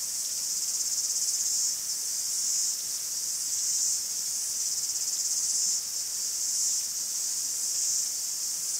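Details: Cicadas singing in a forest in Greece: a dense, continuous high-pitched buzzing chorus that swells and eases in slow waves every few seconds, with no other clear sounds.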